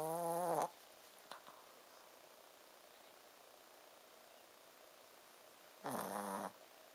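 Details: Sleeping Shih Tzu dog snoring with a 'buu, buu' sound: two nasal, harmonic snores about half a second long, roughly five seconds apart, with quiet indoor hiss between them.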